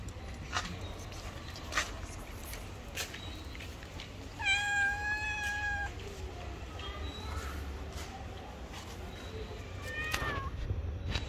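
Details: Stray cats on the street, hungry and asking for food, give one long, level, clear meow in the middle. A shorter falling meow comes later, with clicks and steady low background noise throughout.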